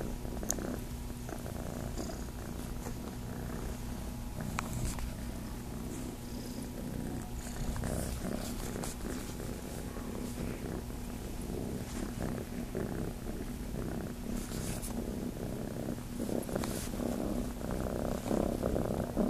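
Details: At Starlight Farm the kitten Chase purrs as it looks to nurse, a long unbroken low buzzing rumble repeated roughly four times a second, with occasional faint rubbing and clicking sounds.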